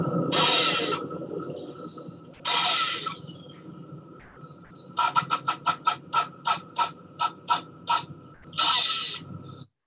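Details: Excitable grey squirrels bicker in a Sussex garden, UK, with harsh, broad rasping bursts and a quick run of about ten sputtering chucks, like an old car that won't start.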